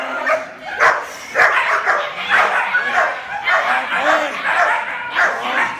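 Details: Icon, a young trained German Shepherd puppy, gives repeated loud, rough barks at an irregular quick pace, nearly two per second, with a human voice in the background.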